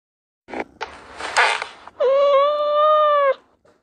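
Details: A cat gives a single long, steady meow of more than a second, holding an even pitch with a slight rise and fall, preceded by a few short noisy bursts and rustling sounds.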